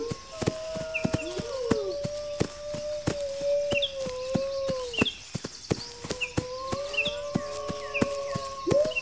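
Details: Wolves howling in long, wavering, overlapping tones, one rising sharply at the close. The howl is said to warn pack members to ready defenses against an attack. Steady knocking clicks and repeated short high chirps accompany it.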